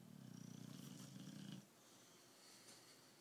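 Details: A sleeping British Bulldog named Tyson gives a single rough, low snore that rattles for about a second and a half and then stops, leaving soft room quiet.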